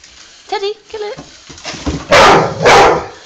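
A dog lets out two loud, rough, choked-sounding barks after a person speaks briefly.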